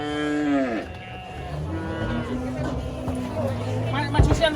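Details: Large female cow rampaging during loading under a tree: one short descending moo at the start, then quieter low lowing and rustling, with a sharp knock near the end.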